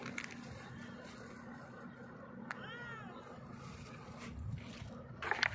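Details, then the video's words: A hungry stray cat sitting on a rock meows loudly, asking for food: one drawn-out, arching meow near the middle, over steady low outdoor rumble and background noise. "hungry stray cat sitting on the rock meowing loudly asks me for food."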